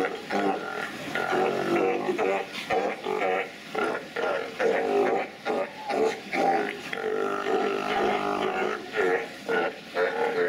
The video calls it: Sea Lions Making Fart Noise